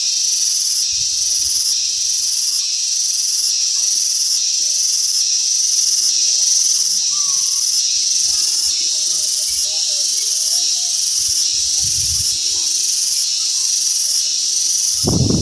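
A cicada sings a loud, high, shrill buzz that pulses steadily, beating several times each second.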